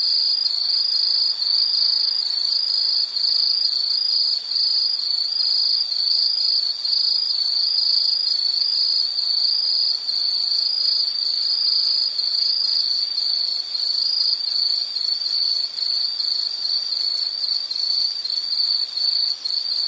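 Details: Insect chorus recorded as a calming nature sound: a continuous, high, shrill trill holds steady throughout, with fainter, even higher ringing layers above it and no other clear sounds.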